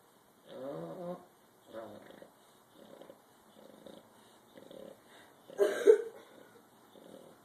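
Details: Bulldog snoring in short raspy bursts roughly every second, the first strongest, with a brief sharp louder noise near the end.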